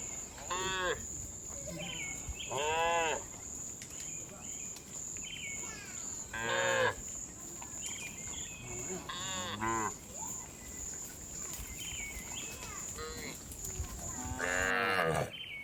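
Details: Afternoon herding of tame cows back to the barn: short and medium moos from several animals every couple of seconds, over a steady high insect-like whine throughout.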